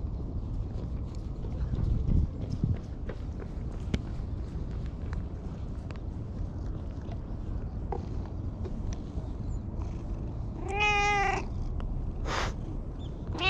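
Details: All-black stray cat that followed the filmer and climbed onto a lap, pleading in cat language, filmed on a GoPro; one clear wavering meow near the end, then brief short cries, over steady rustling and handling noise.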